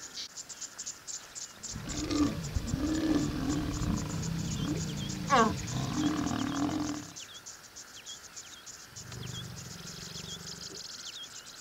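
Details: Lions mating in Masai Mara National Reserve, Kenya, amid open grassland: deep rumbling growls lasting about five seconds, with a louder snarl midway, then a softer second growl, over steady crickets and chirping birds.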